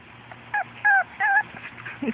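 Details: Four-and-a-half-week-old puppies on their first outing outside with their mother Fergie and half sister Miley give high whimpers, three drawn-out whining notes with a short yip before them and a low squeak at the end, over faint outdoor background.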